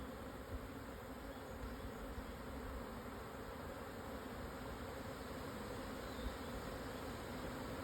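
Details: Swarming Japanese honey bees moving house around 12:50 on 17 June 2024, Hokuto, Yamanashi, Japan, 1054 m altitude, after strong wind subsided; a thick, unbroken low droning buzz from many bees fills the whole stretch.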